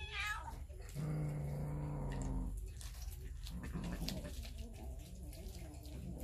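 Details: Hungry cats and kittens over raw fish, captured with a Samsung Galaxy S9 Plus; a brief high meow opens, then a long, low, throaty growl, followed by quieter rustling and faint murmurs.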